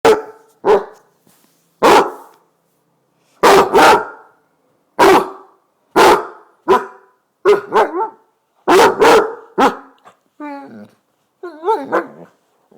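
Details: Basset hound named Bowser barking to wake its owner in the morning: a steady run of about a dozen loud, deep single and double barks spaced roughly a second apart, ending in higher, wavering whining yelps.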